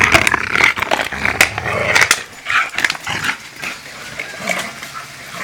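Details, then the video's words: Siberian Husky worked up with excitement over a bottle, giving high, tense whines and squeaky yelps in short bursts, mixed with sharp crackling and clicking from the bottle being handled. "Husky loco por botella"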